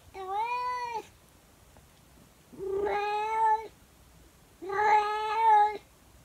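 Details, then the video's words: Early-morning howl from a domestic calico cat: three long, steady, strongly harmonic yowls, each about a second long, spaced roughly two seconds apart, indoors. "Best cat howling video yet! My cat sings two songs early in the morning!"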